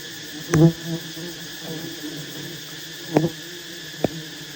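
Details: Honey bees at a giant wild nest during a honey harvest by skilled hunters; brief loud buzzy bursts rise above a constant low drone, broken by scattered taps and clicks.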